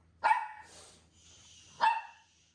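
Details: Pet dog being groomed gives two short, sharp yelps about a second and a half apart, each bright and harmonic with a quick fall. A soft hiss fills the quiet between them.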